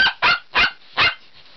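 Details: Bichon Frise dog barking at home, seemingly wanting to go outside: four quick, sharp barks at an even pace, then a brief soft trailing sound; an owner talks to the dog around the barks.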